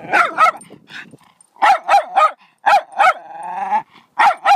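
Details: Excited dog barking in quick doubled barks, broken by a drawn-out whine before the barking resumes.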